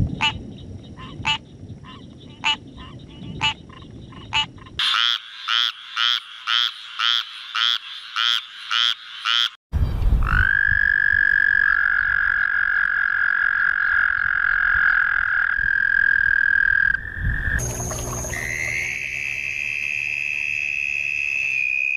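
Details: Frogs calling in a sequence of abruptly cut segments: first sharp clicking notes repeated about twice a second, then a fast pulsed trill, then long steady droning tones, ending with a higher sustained whine.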